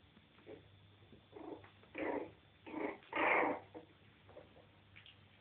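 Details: Jack Russell Terrier puppies, three and a half weeks old, playing together in their bed indoors, give several short soft whiny squeals and grunts in bursts, the loudest near the end, with a low steady hum behind.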